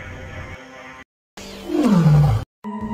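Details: A male pride-leader lion gives a deep, falling roar from across the forest, a message telling the pride's lionesses he wants to mate, letting them prepare; it disturbs a lioness's midday nap.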